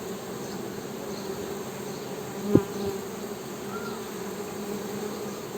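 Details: Humming of honey bees, a continuous low droning buzz; one sharp knock or tap sounds midway, and a brief higher whine near the end.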